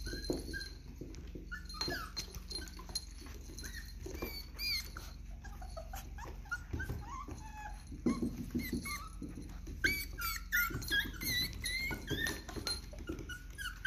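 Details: Miniature Dachshunds, more than one, indoors wearing collars for the first time, giving soft high squeaky whimpers and short yips in scattered bursts, some rising and falling, over steady low room hum and faint rustling.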